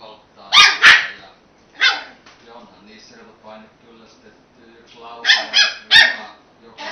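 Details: Puppy Robinho, very young, plays at attacking a beer can: clustered shrill barks, a pause filled with low grumbling growls, then another quick run of yaps.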